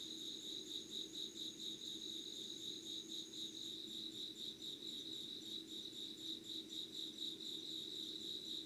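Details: Insects singing at 5:00 on 25 August 2019 in Yugawara, Kanagawa, Japan: a dense, steady chorus of high, pulsing chirps, with a second thinner, higher trill fading out partway, over a low background hum.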